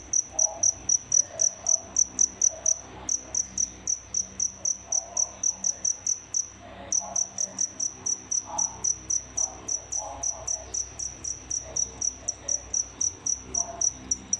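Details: Two paired crickets kept in captivity as feeders chirp loudly and continuously, shrill high pulses about four per second, pausing briefly twice before resuming the same rapid, even rhythm.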